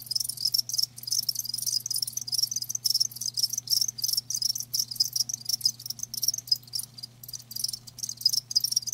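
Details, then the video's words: Several live crickets chirping in dense, overlapping high trills, quick pulses running almost without pause, with a steady low electrical hum beneath. "Live Crickets 60min "Natural Sound""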